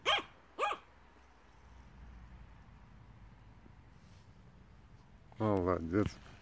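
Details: Begging Yorkshire Terrier giving two quick sharp barks at the start, followed by near silence and then a man's low voice urging the dog in Russian.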